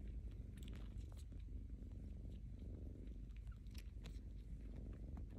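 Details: A rescued house kitten suckles its paw pads, giving quiet moist clicking smacks at an uneven pace while a deep, constant purr rumbles underneath throughout.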